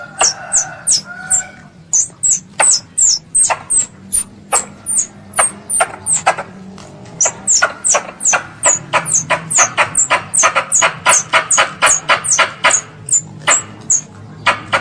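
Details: A squirrel calls its mother in high, thin chips, spaced at first and then packed into a fast, dense volley in the second half, with a soft low background murmur.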